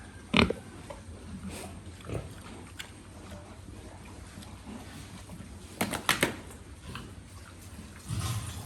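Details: Pigs on a farm give sharp, loud squeals near the start and again around six seconds, with low grunting and a steady low hum of farm noise between them.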